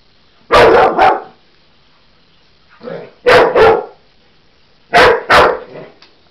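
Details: Cocker Spaniel cross Husky dog barking excitedly at a toy animal it thinks is alive: three bursts of loud, paired barks about two seconds apart, each pair quick and punchy with a softer lead-in before the second.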